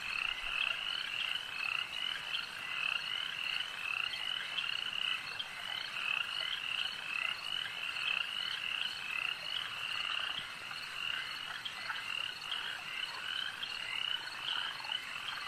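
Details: Chorus of frogs at a lake, a continuous shimmering mass of fast, high, pulsing croaks layered over one another without a break.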